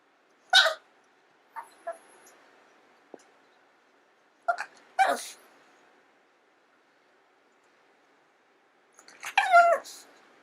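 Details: A pet long-haired Chihuahua crying out indoors, desperate to be given its owner's food: sharp, high yelps spaced a few seconds apart, a couple of softer squeaks between, ending in a longer wavering whine-yelp.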